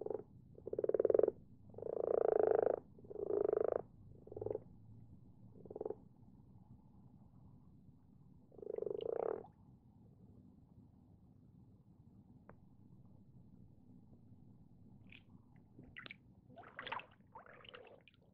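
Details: Common frogs in a garden pond at night; a handful of loud, separate purring croaks come in quick succession at the start, then a lone croak, followed by quiet with faint, scattered short calls.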